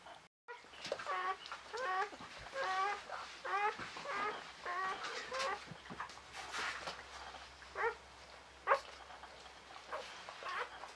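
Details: Newborn Czechoslovakian Wolfdog puppies, from a litter of five females born 21 November 2020 to Orizon, squeal in short, high, wavering bursts that rise and fall, repeated in quick runs with brief pauses, against faint rustling.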